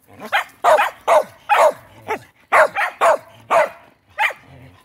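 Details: Pet dog that heard a fire truck siren gives loud, harsh, throaty barks in quick succession, about two per second, with short pauses.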